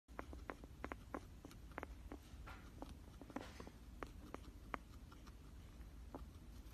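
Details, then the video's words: Coco, a female pet guinea pig, makes crackling noises that have only just started. She has eye discharge but still eats and drinks normally. Sharp, dry clicks come at irregular intervals over a quiet indoor background. "Coco is making crackling sounds."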